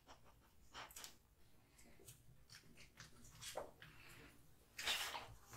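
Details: Kotetsu, a male American Bully (Pit Bull) born August 2016, eating hung raw meat and bones: scattered wet chewing and sharp crunching bursts, one louder crack near the end, with soft breathing between bites.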